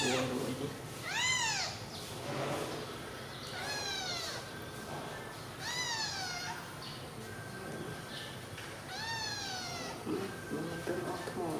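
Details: Several newborn kittens lying asleep together, well fed on milk, give four thin, bending mews at irregular gaps of two to three seconds, with faint low background noise between calls.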